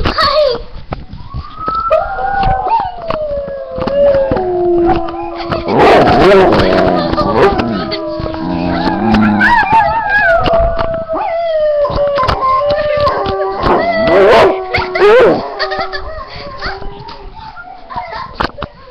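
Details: Pet dog howling in long, wavering, drawn-out tones that slide up and down, rising into louder, strained peaks midway and again near the end, with human voices and laughter breaking in at times.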